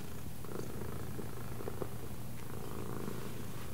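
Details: Pet cat trained to follow left and right cues purring with a continuous deep, throbbing hum. A person praises it with "well done".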